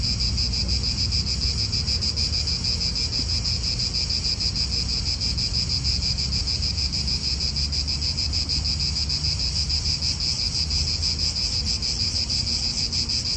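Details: Steady, shrill insect chorus from many cicadas in an Italian park. The high droning hum never pauses, and wind and car noise murmur low in the background.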